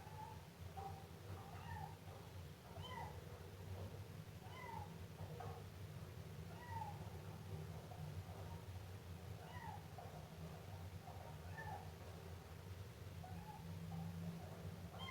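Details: Kitten of the Siamese breed meowing persistently: about a dozen short, curved mews every second or so, some higher and squeakier, set against a continuous low-pitched hum.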